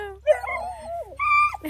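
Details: Female Bluetick Coonhound puppy, described as vocal, gives a drawn-out whining glide that wavers and falls, followed by a shorter steady higher whine. A woman speaks softly to the puppy just before.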